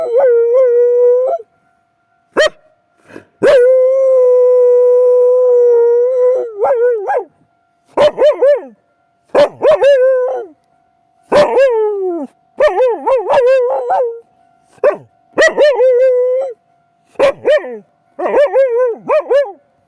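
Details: Mari, an Akita, howling at night in strong reaction to a railway crossing. Short wavering yelps alternate with a long steady howl held about three seconds. A faint constant tone hums beneath throughout.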